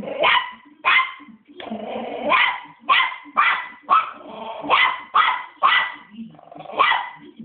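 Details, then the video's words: Angry West Highland White Terrier pup, three months old, barking without stopping: shrill clipped yaps roughly every half second, one longer whining bark near the start, faint low voices behind. "Very angry pup"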